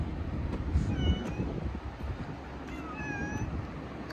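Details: Community street cat in Fukuoka, Japan, lounging in warm, almost summer-like sunshine: two short, thin, high mewing calls around one second and three seconds in, each a level whine, over a steady low outdoor rumble.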